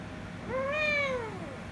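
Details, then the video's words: An angry rescue kitten with a ginger kitten, later kissing and licking: a single drawn-out meow that rises, holds, then slides slowly downward over about a second, against quiet background noise. "Cats Meowing"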